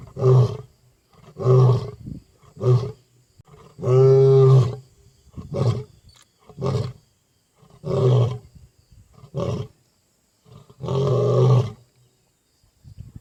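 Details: A wild African lion roars into the night on safari, giving a deep series of low, rumbling, grunting bursts.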